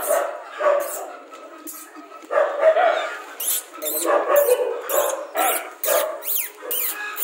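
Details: Rajapalayam dog giving short yelping barks in irregular bursts, some with a squeaky rising tail, among sharp clicks and clatter, with a little background voice.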